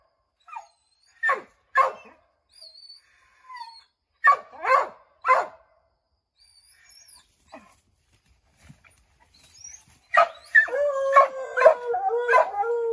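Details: Redbone Coonhounds baying at a chipmunk up an oak tree, trying to send it scrambling down; scattered sharp barks early, a quiet stretch, then a long wavering howl rising in the final seconds.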